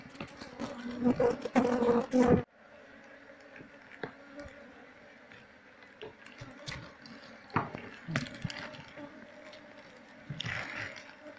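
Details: Wild Apis cerana honey bee colony, combs already removed, while it is moved into a cultivation box during the search for its queen; a steady low droning hum throughout, louder with clattering handling noise early, plus scattered knocks and rustles.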